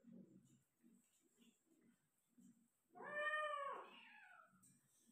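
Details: Persian cat during delivery of five kittens, Gujranwala; after soft low shuffling sounds, one drawn-out tonal meow starting near three seconds, rising then sliding downward, over a faint steady high hiss.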